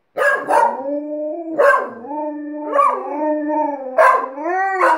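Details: Alaskan Malamute howling with a second household dog it taught to howl: drawn-out tonal howls that start abruptly about every second and a half, then hold steady and slide slightly, with two voices overlapping.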